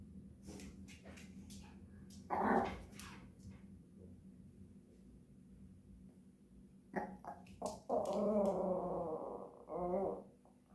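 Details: Japanese Chin dog singing: a brief harmonic yelp near two and a half seconds, then from seven seconds a drawn-out wavering, tonal howl-like vocalisation in several bursts, with low background hum.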